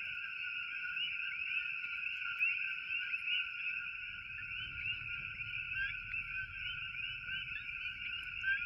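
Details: A dense night chorus of coqui frogs in Hilo, Hawaii, forms a steady wall of high, chirping whistles.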